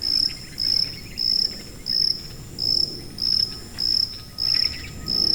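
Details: Regular high-pitched chirps of a cricket, nine brief buzzy trills spaced about 0.6 seconds apart, over low background rumble; presented as a tinnitus masking sound.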